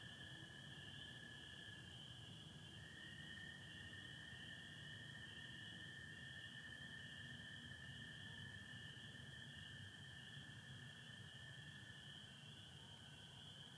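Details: Spring peepers calling with American toads on an April 24, 2025 spring night in Michigan, under stars, satellites and some overcast: a steady, dense high-pitched peeper chorus, with a long, lower, sustained toad trill running from about three seconds onward.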